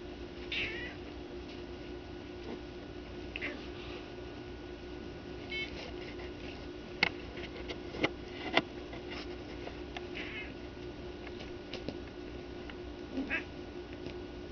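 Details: Hunter, a female house cat, indoors while attacking blankets and being encouraged, lets out a few faint, short, high chirping meows spaced several seconds apart, with soft thumps and rustling in between.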